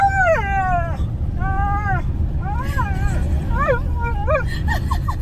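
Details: Two Siberian Huskies riding in a car on a drive; one gives a string of wavering, yodel-like howls over a steady low road rumble of the moving vehicle.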